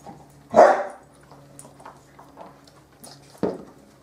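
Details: Bearded Collie puppies from the M litter playing on a roof terrace: one sharp, loud bark, then quiet scuffling and light pattering, and a second short bark nearly three seconds later.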